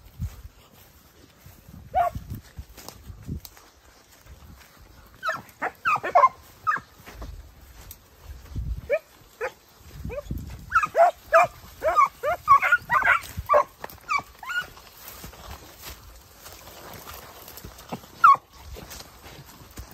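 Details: Young Segugio Italiano hounds of 8 and 17 months with their father Geko bark excitedly outdoors, isolated yelps building into a dense overlapping chorus of high barks before fading to a single late bark, with thumping and rustling beneath.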